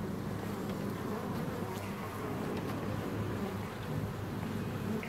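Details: Inside Hive 4 on June 15th, a honeybee colony makes a rough, continuous low drone, thick and grainy, with a heavy bottom hum and no clear breaks.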